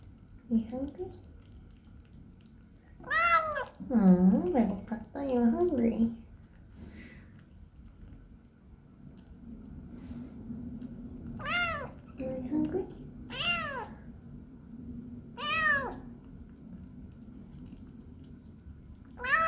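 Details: Binwoo, a talkative female kitten on her first day home, meowing indoors during and after her first bath. Several drawn-out, arching meows, about four clear ones spread across the stretch, with a woman's soft baby-voice talk in between.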